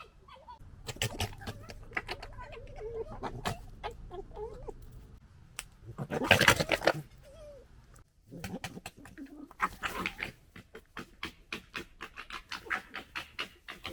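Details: Foxes gekkering while fighting and settling a pecking order, 2021: rapid stuttering chatter of harsh clicking pulses, with a loud broadband scuffle burst midway and quick, evenly spaced clicks near the end.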